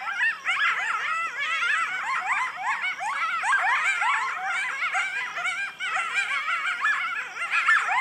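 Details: A chorus of coyotes yipping and howling at night, recorded August 25, 2011, with many wavering, quavering voices overlapping at once; they call every night.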